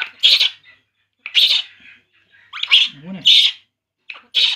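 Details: Baby monkey crying while drinking milk: high, shrill squealing cries in short bursts, five of them about a second apart, with one lower wavering moan between them.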